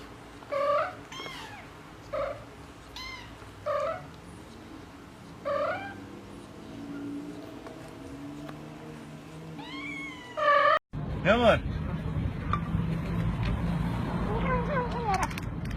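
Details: Pet cat talking with its owner, a run of about seven loud, drawn-out meows with arching, wavering pitch, spaced irregularly about a second or two apart, then an abrupt cut to a noisier scene with a fainter, rising cry.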